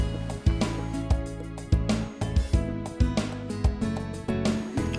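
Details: Steady instrumental music with a regular beat plays throughout, and no animal sounds come through.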